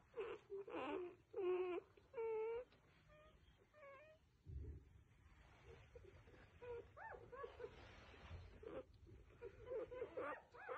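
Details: Newborn F1B standard Goldendoodle puppies give high, wavering squeals and soft whimpers in quick, uneven bursts.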